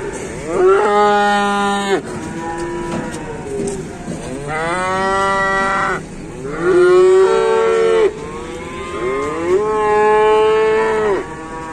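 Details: Newly delivered cattle in an Indonesian livestock pen call in four separate long moos, each swelling and holding for one to two seconds with short gaps of quieter lowing between them.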